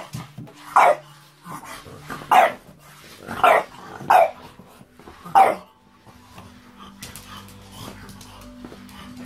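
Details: Junior, a pet French Bulldog, gives five sharp barks spaced about one to one and a half seconds apart, then falls quiet while faint household hum and low background sounds continue.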